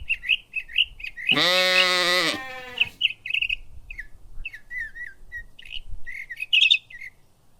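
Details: Lamb grazing in a cool green forest gives one loud, wavering bleat lasting about a second, with a rich harmonic tone. Birds chirp and twitter repeatedly before and after it against a quiet background.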